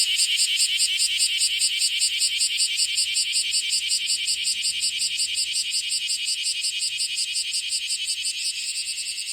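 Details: First bear cicada of the year, calling from a hand: a shrill, rapidly pulsed rasping buzz, about three pulses per second, holding strong and easing slightly at the end.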